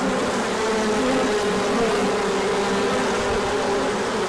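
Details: Bees out on a large orientation flight when the sun returned after colder weather, 24 March 2024; steady mass humming with wavering wingbeat tones, no pauses.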